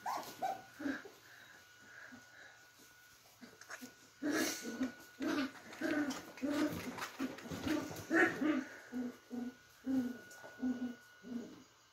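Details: Playing Beagle puppies indoors: short low yips and grumbly whimpers repeated in quick uneven runs, growing busier midway, with scuffling and a faint steady tone behind.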